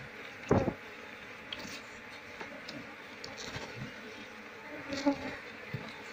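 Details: Asian honey bees (Apis cerana) of a wild colony droning together during a search for the queen before transfer to a hive box; a low, even hum broken by loud handling thumps at the start and near the end.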